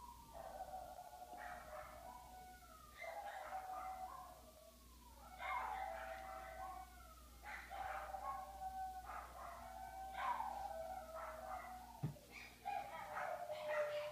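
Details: Several pet dogs howling indoors when their owner goes upstairs without them: overlapping wavering howls with falling and rising slides, in bursts every second or two, joined by yips, with one sharp knock near the end.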